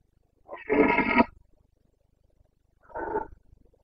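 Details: Red deer stag of the Carpathians in Bucovina during the breeding season, September 2022: one loud, rough, harmonic roar of just under a second, a pause, then a shorter, quieter roar, with a still background.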